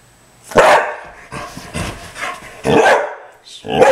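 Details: Dog barking in a house at a squirrel it wants in the front yard: loud, harsh barks in bursts, about four in four seconds, the gaps filled with softer huffing and whining.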